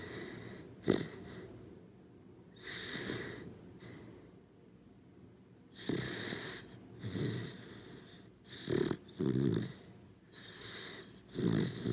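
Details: Corgi dog sleeping indoors, snoring softly with breathy, wheezing snorts every one to three seconds, each a noisy rush of air with a low rumbling core.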